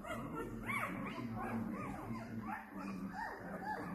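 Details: Bernese Mountain Dog puppies from a litter of two males and two females born 12 December 2022, giving overlapping high whines and squeaks that rise and fall, several each second, over a faint low background.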